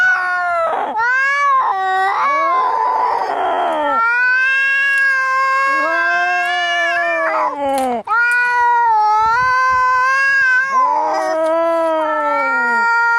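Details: Angry cats fighting, a continuous overlapping caterwaul of long wavering yowls that rise and fall, broken by harsh hissing spits, with two voices trading drawn-out moaning howls throughout.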